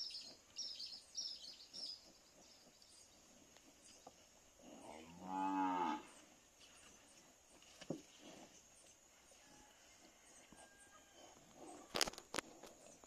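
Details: Farm Nelore bull courting a cow in heat before natural mating, giving a single long, low, harmonic moo midway, surrounded by quiet rustling, insects and a few sharp clicks.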